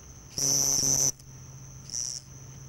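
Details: House cricket stridulating at nightfall in summer near houses at Hammam Lif on the Gulf of Tunis coast, Tunisia. The male calls before his burrow entrance: a loud, shrill, high trill of under a second, then a shorter, fainter burst over a steady distant trill and low hum.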